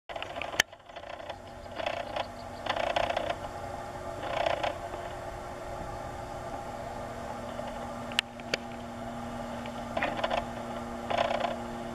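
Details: Mechanical hum with rustling, scraping bursts and a few sharp clicks, with no animal calls.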